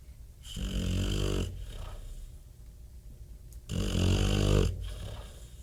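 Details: Bob, a pet Bulldog, snoring heavily indoors: two long, deep, rumbling inhaled snores about three seconds apart, each roughly a second long, with quieter breathing between them.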